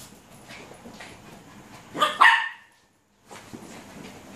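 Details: Luna, a six-month-old Alaskan Malamute puppy, at play: a quick double bark, sharp and bright, breaks a quiet, faintly hissing background, followed by a short pause of near silence.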